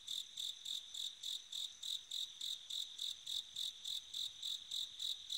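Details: A bell cricket calls at night in autumn, repeating bright, high-pitched ringing notes about three times a second, some eighteen pulses in a row, with faint low background hiss.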